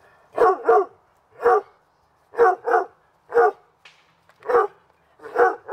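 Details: Dogs Hubert and Woody playing in a backyard on a summer afternoon; sharp barks, often in quick pairs, repeated about every second against a quiet background.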